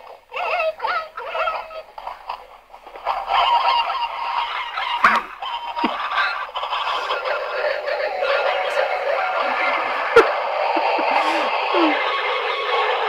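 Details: A large group of meerkats chatters together in overlapping high, squeaky chirps and peeps, seeming to call back and forth.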